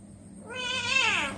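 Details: Pet domestic cat meowing while being played with at home: one drawn-out, tonal meow that rises and then falls in pitch, with a rich stack of harmonics and a faint high steady whine behind it.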